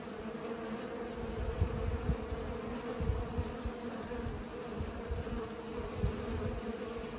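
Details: Bees pollinating, giving a steady low droning hum with layered tones that holds unbroken through the recording, over a rumbling backdrop of soft low thumps and wind-like buffeting.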